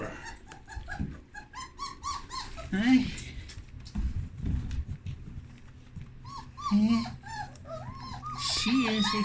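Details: Puppies wandering around their whelping box with clean blankets; clusters of short, high whines and squeaks arch up and down, mixed with a person chatting to them indoors.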